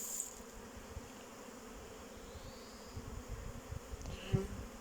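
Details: Hum of a keeper's honey bees on 8 May 2023 during a cold spell: a faint, even low drone throughout with a single sharp tick near the end.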